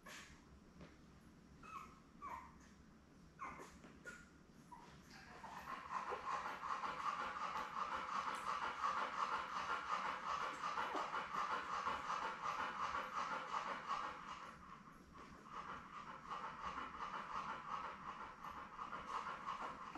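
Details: Newborn Labrador Retriever puppies, seven born May 24, 2021, with their mother Belle on a live puppy cam: after soft scuffles, a sustained high whining chorus swells near six seconds, pulsing steadily, dips around fourteen seconds, then resumes over a faint electrical hum.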